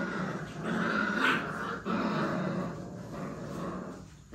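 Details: Puppies play-fighting: a steady low growl with a brief break near the middle, softening toward the end.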